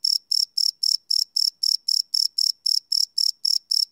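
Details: Cricket chirps heard at night on a live Sony PCM D100 recording, each a short buzzy high pulse, repeating rapidly and steadily at about four per second, nothing else audible.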